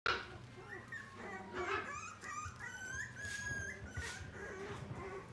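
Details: Cavalier King Charles Spaniel in the Odawara branch of the Inu no Ie pet shop in Japan: high, thin whining whimpers sliding in pitch, with a steady hum and indoor background noise.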